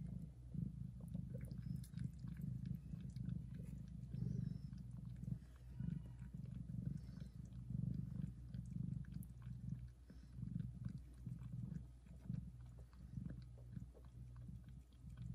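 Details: Loud continuous purr of a domestic mother cat tending and nursing her tiny kittens, a deep pulsing rumble that swells and eases in waves, with faint wet licking noises mixed in.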